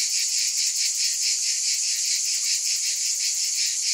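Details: Shrill cicada chorus buzzing without a break, rising and falling in quick gentle pulses over four seconds.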